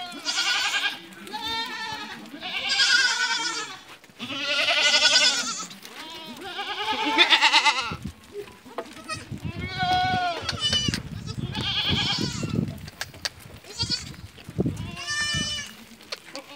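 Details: Female Barbari and Sojat goats that have kidded once or twice, kept on a farm in Ajmer, Rajasthan, India, give a run of quavering, harmonic-rich bleats. Several overlap or follow closely, with background voices and rustling in the second half.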